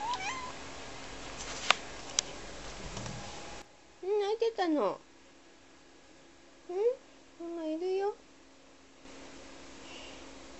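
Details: A two-year-old Ragdoll cat indoors in a small house, deliberately meowing to call its owner when she goes out of sight to do laundry; several short rising and falling meows in bursts, with faint speech earlier.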